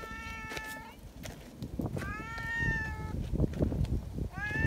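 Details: Friendly community cats at a cat gathering greet visitors noisily, wanting to be petted together; three clear harmonic meows, the middle one long and drawn-out, the last rising, over shuffling footsteps and rustling outdoors.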